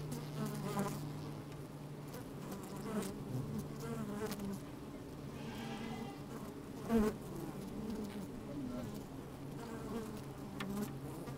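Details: Honey bees at work inside an opened hive on a fine, sunny, slightly windy day, recorded with a microphone slid down into the hive; a steady low droning hum with layered tones, scattered sharp taps and crackles as bees move about.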